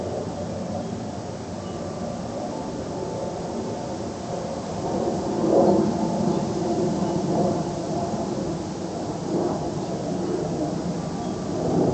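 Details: A steady low rumble of passing vehicles or a train fills the recording, with no clear animal voice above it.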